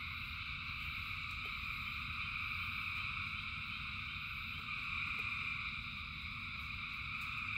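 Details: Thousands of frogs singing in rain: a dense, unbroken chorus of high, steady trilling layered in several pitch bands, over a constant low rumble with faint scattered clicks.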